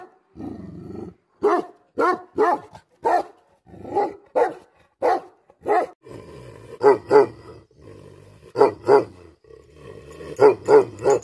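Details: Angry Bhote Kukur, or Tibetan Mastiff, gives bursts of two or three gruff barks separated by low growling, over a steady humming background that grows toward the end.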